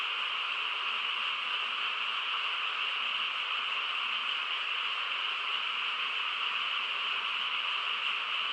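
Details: Countryside night frog chorus: many frogs calling at once, blending into a constant high, buzzy hum that never rises or falls.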